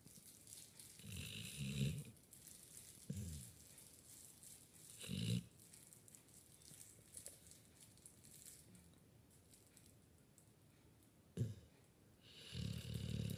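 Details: A sleeping puppy snores loudly. Low, rough, breathy snorts come at irregular intervals, about five over thirteen seconds, some with a hissing upper edge. Quiet pauses fall between them in a still indoor room.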